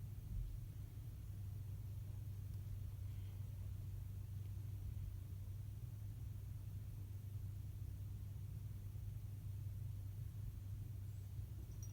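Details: Steady low engine rumble of a vehicle throughout, with no animal voice present.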